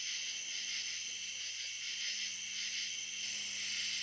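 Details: Cicadas recorded at dusk on the Licking River in Morning View, a dense steady high-pitched hiss running unbroken through the whole stretch, with a faint low hum underneath.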